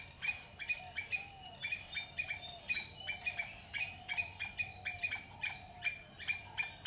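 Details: Squirrel. A squirrel repeats short, harsh chips at a brisk, even pace of roughly three per second. Each note is clipped and bright, with a faint steady hiss in the background.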